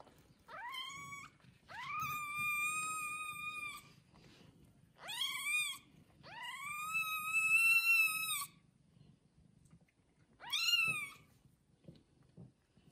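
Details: Cat with one-day-old newborn kittens, just after birth: five loud, harmonically rich meows. Some are short, others long and drawn out. Each rises and then levels off, with brief quiet gaps and a low hum underneath.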